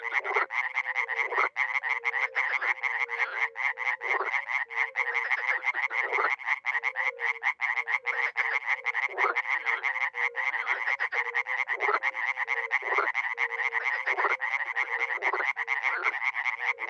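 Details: A spring pond chorus from Miroslovesti in north-eastern Romania: dozens of frogs and toads give steady, crowded, grating croaks, while a deeper hooting note repeats rhythmically below the whole time.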